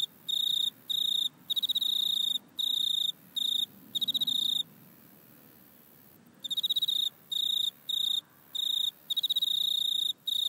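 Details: Grasshopper recorded in a back yard with an iPhone: sharp, high-pitched ticking bursts repeated about every half second, a long silent stretch in the middle, then the pulsed buzzing resumes steadily.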